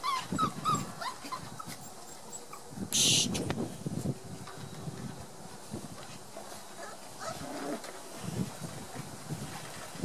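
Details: Playful Border Collie pups at one month of age, recorded 4 October 2016 while exploring new sounds: a burst of high whines opens, then a brief hissy noise and ongoing scuffling and rustling.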